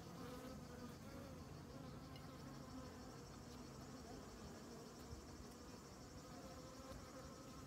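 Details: Many honey bees on comb honey, shown without commentary; a loud, thick buzzing drone, rich in harmonics, holding level without pause.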